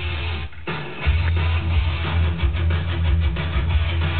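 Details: Plucked guitar music with a heavy bass and no animal voice. The strummed notes and low rhythm run steadily from start to finish.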